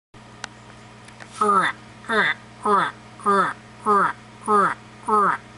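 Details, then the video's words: White's tree frog, the owner's biggest, finally responding with a deep, barking croak repeated steadily about every half second. "White's Tree Frog croaking!!! BAAHAHAAHA SUCCESS!!!"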